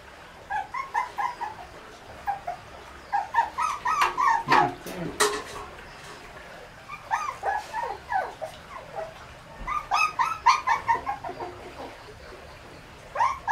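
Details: Shih Tzu puppies fed a raw diet of meat, bone and fat, squeaking while eating: bursts of short, high whimpers and yips overlapping in quick runs, pausing for a few seconds between clusters, with occasional clicks and knocks.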